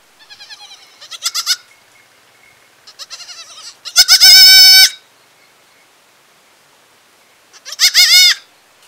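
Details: Young village goat bleating: several high, wavering harmonic cries, one long loud bleat near the middle and a shorter one at the end, with quieter trembling calls before, on a silent background.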